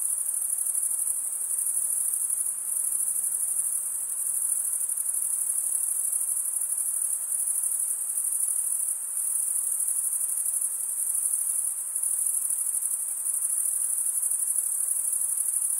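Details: Crickets, males stridulating by running one wing's toothed vein against the other, make a steady, very high, shrill unbroken trill. Density barely shifts across the whole stretch, with no other sounds.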